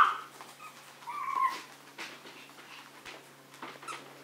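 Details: Small Maltese and Yorkshire terrier dogs indoors, one giving a brief thin whine at the very start and a drawn-out tonal whimper around one to one and a half seconds, quiet overall with faint household noise.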